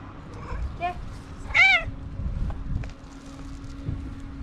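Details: Hungry stray domestic cat found on a street, happy to greet the woman who feeds and adopts it, gives two brief soft mews, then one loud, clear, arched meow rising and falling, over a steady low hum and faint background voices.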